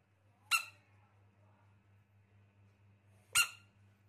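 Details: Baby rain frog giving two short, sharp squeaks about three seconds apart, each bright and harmonic-rich, over a steady low electrical-sounding hum in a quiet indoor space.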